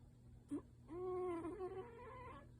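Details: Brown tabby house cat Yuki, sound asleep and perhaps dreaming, makes a short nasal squeak, then a longer wavering whimper that swells and fades, with a faint hum beneath.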